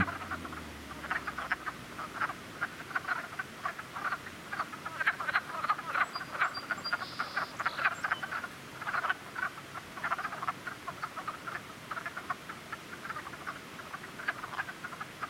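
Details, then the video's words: Springtime frog chorus from a cluster of calling frogs: dense, rapid croaks repeating without pause over fifteen seconds, loud and steady, with a faint low hum at the start and a brief higher tone midway. "Frog cluster"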